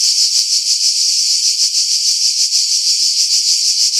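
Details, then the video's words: Cicadas singing in pine trees about 50 m above the sea at Pefkos Bay, Skiros Island, Greece, in July 2018: a loud, dense, high buzzing drone pulsing roughly three times a second, with everything below the buzz filtered out to remove wind. "Cicada Sounds, July 2018 Skiros, Greece"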